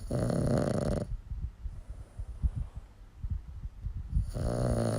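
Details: A sleeping dog snoring, with deep rumbling inhalations in low pitch and rough rasping breaths at the start and end, the quieter middle filled with soft irregular snuffling pulses.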